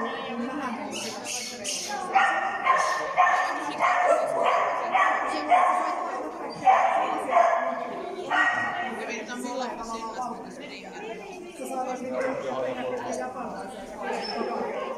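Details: Finnish Lapphund named Mindy on an A agility course at PAWS, 3 October 2020; a run of sharp barks repeated about twice a second, then fainter barking mixed with people's voices.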